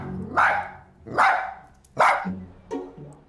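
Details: Otis, a two-year-old dachshund left home alone and caught on an indoor camera, barks anxiously in sharp, repeated bursts, about one every second, while looking out the window; faint background music.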